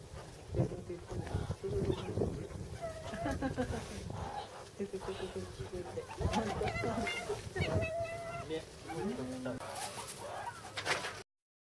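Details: Meerkats brawling at Yokohama Zoo Zoorasia, Japan, filmed March 2017: short tonal squeals and chirping cries, some held flat, others bent, scattered through the scuffle, over steady visitor chatter and crowd noise.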